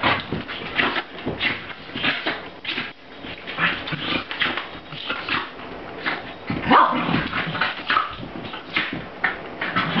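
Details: Two Corgis, Strider and the smaller female Cricket, who loves picking on him, bark and whimper in quick, excited bursts while playing.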